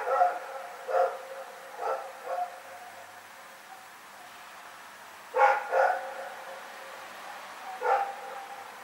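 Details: Rex, a dog, barking during the night on February 27, 2018: a run of moderately loud harmonic barks, some doubled, spaced roughly one to two seconds apart, with a soft echo after each.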